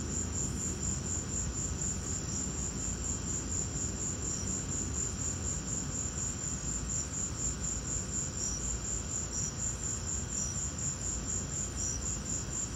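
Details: Crickets calling during a lightning storm, a continuous fast high ticking trill with occasional lower chirps dropping in, set against steady low-pitched rumbling noise.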